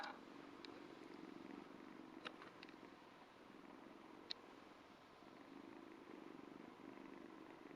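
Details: Ragdoll kitten about two months old purring while licking a hand: a steady low rumbling purr in soft rhythmic pulses, with a few faint clicks and licking sounds over it, recorded indoors.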